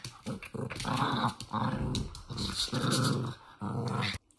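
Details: Toy Fox Terrier growling during play indoors; loud rasping growls in four long bursts of about half a second to a second each, separated by short pauses.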